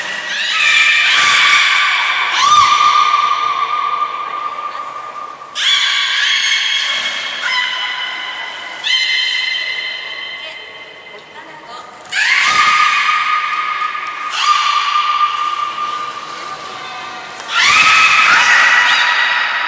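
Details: Beluga at a Port of Nagoya Public Aquarium training session in Japan, 11 July 2020, featuring Taanya, Nana, Mirai and Niko. Repeated bursts of layered, buzzy harmonic tones with sudden pitch steps, separated by short pauses, with thin steady high tones in the gaps.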